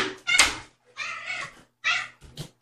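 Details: Domestic cat, a mother with young kittens born in late June, indoors at a rescue; three drawn-out tonal meows with clear harmonics, each under a second, separated by short silences, a soft click between.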